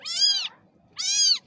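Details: Little baby cat giving two short, high-pitched meows about half a second apart, both bright and slightly falling at the end, against a quiet background.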